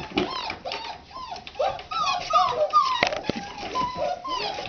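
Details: Several red Standard Poodle puppies, 2009 litter, waking up in the morning, whining together in overlapping high bent whimpers and squeals, with a sharp knock and rustling nearby.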